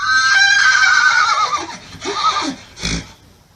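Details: Horse neighing: a sustained high whinny wavers and falls in pitch, followed by a few short lower snorting pulses and a final breathy burst.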